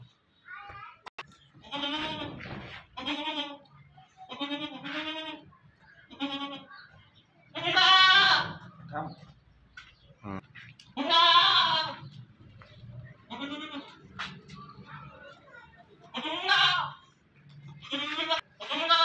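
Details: Makhi Cheeni goat bleating repeatedly, loud harmonic-rich bleats recurring every few seconds with strong overtones, some louder and drawn-out, interspersed with quieter calls and low background noise.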